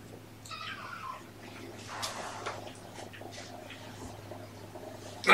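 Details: Kitten from a surrendered litter of three born November 22, kept with mother Olympia, indoors on the afternoon of February 13, 2018; one short high meow sliding downward, then a person talking softly amid light rustling.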